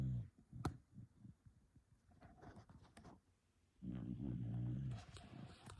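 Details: Low, throaty snoring from a sleeping dog: soft rhythmic breaths and clicks, then one loud rumbling snore of just over a second.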